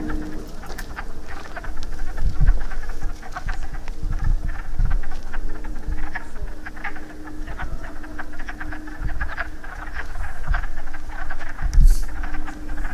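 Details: A group of wood frogs calling during breeding after rain, their duck-like clucks forming a dense, irregular chorus, with gusty low rumble and a constant faint tone underneath.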